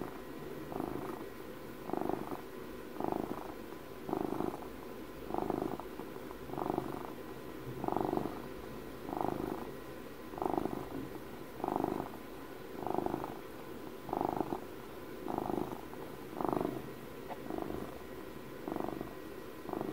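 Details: Domestic cat purring steadily, close and indoors, the rumble swelling on each breath about once every second and a half, with a soft continuous pulsing between the louder phases; a faint steady hum underneath.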